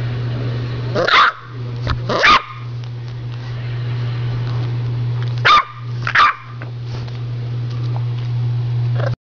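An English Bulldog puppy lets out brief, high barks, mostly in quick pairs a second or so apart, with a few softer yips between. A constant low hum runs underneath.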